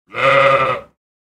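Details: Sheep. A lone sheep bleats once, a nasal, quavering 'baa' held for nearly a second before cutting off. No other sounds accompany it.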